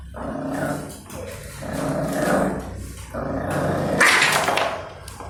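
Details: Two puppies fighting over food, one angry and barking: rough, harmonic growling snarls in three long bursts, then a sharper yelping bark near the end, with steady low hum underneath.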